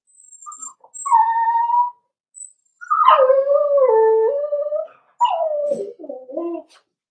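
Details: Cavalier King Charles Spaniel puppies, four weeks old, whimper in their pen while being socialized with adult dogs: a run of loud, wavering tonal whines, some stepping down in pitch, with faint high squeaks at the start.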